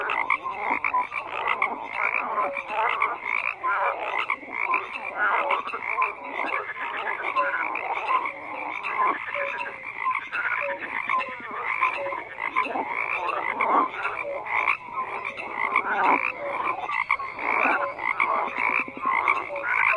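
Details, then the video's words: Frogs croaking en masse in a steady wall of sound, countless rasping pulsed calls overlapping for the whole stretch, loudness rising and falling slightly but never stopping. "FROGS CROAKING"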